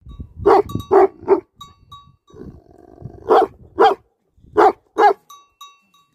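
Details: Livestock guardian dogs barking in short clusters, three deep barks in quick succession, a quieter pause with low rumbling, then two more pairs of loud barks; a faint steady tone lingers between barks.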